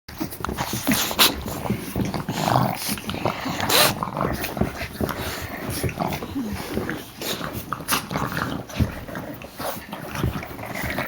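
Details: Three puppies playing together: rough, noisy growls and scuffling in irregular bursts, with a brief whining yelp partway through and sharp knocks and clatters from the play.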